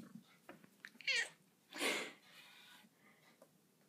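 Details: Pet cat Daisy talking to her owner indoors: a wavering, harmonic meow bending down then up, followed by a longer breathy, noisy cry, with soft small-room rustles around them.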